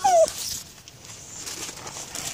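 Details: Patterdale Terrier at nosework, searching for two kids, gives one short falling whine at the very start, then quiet rustling background.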